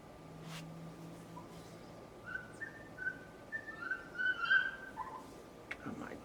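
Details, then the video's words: A neighbour's dog whines from next door in high, thin, wavering tones, with a run of short rising and falling cries packed closely together near the end, over a steady background hum. "Neighbor's annoying dog noise"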